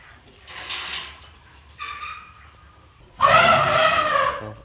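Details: Two Asian elephants playing and teasing each other, lying rump to rump and calling through the night, give loud brassy trumpets: one shorter blast, then a longer, harsher one.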